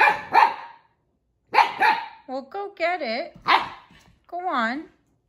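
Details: Siberian Husky puppy barking in two sharp bursts, then drawn-out, wavering whine-like vocal sounds that rise and fall, with a person talking to the dogs indoors nearby.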